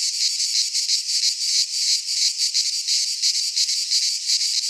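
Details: In a Greek pine forest in midsummer, cicadas sing a steady shrill buzzing drone with rhythmic swells about three times each second.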